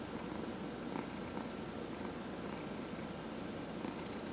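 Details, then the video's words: Older male domestic cat, 14 and a half years old, purring contentedly under a head massage; low, buzzing, evenly pulsed rumble with gentle breathing swells roughly every one and a half seconds. "Cat Purrs During Head Massage"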